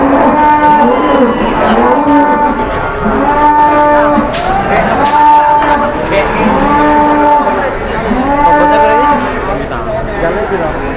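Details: Jumbo cattle lowing at a very crowded cattle market in Indonesia: steady, drawn-out harmonic moos repeated about every one and a half to two seconds, some overlapping from several animals, over a constant bustle of people.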